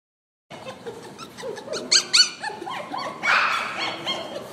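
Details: A purebred poodle gives a run of high, thin yips and whimpers, short and puppyish.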